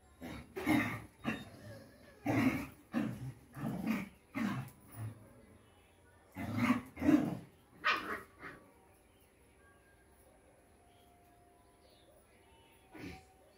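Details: Rottweiler puppy letting out a run of gruff, low barks roughly every half second to a second, pausing briefly, then another cluster before falling quiet with one last bark at the end.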